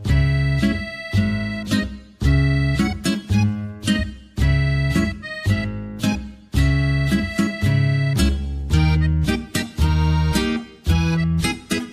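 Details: Accordion-like music with plucked string accompaniment plays in rhythmic bursts throughout, and no animal voice can be picked out.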